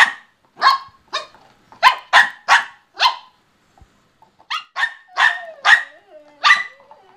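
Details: Play between two pet dogs, German Shorthaired Pointer Benelli and Bichon Rocky: a rapid series of about twelve loud barks in two bursts separated by a short gap, with a faint whine under the later barks.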